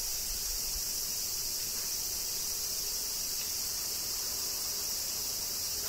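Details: Kyoto summer rain with cicadas, Japan: a bright, even, high electric buzz sustained without pause, plus faint low rumbling early on.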